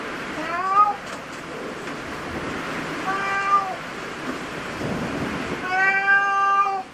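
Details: At a cat cafe, cats give several short harmonic meows spread across seven seconds, the last one louder and longer, with soft background murmur and clatter.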